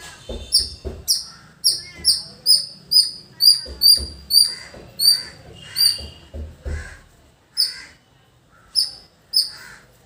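A squirrel calls with piercing, high-pitched chips, each short and clipped, repeated roughly twice a second. The series runs on with brief pauses, over a faint low background rumble.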